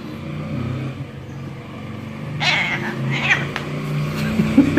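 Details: Male pet cat that sees its owner only once a week, meowing while being held and stroked. A brief, harmonic meow rises and falls in the middle, over steady low engine-like rumble, with a faint squeak near the end.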